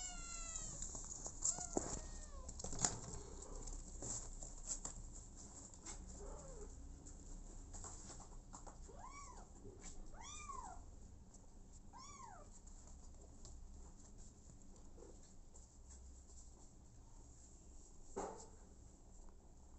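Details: Abandoned kitten, later adopted by mother cat Smokey, giving a string of high, arching meows with rich overtones, clustered near the middle of the recording, with scattered knocks and rustling.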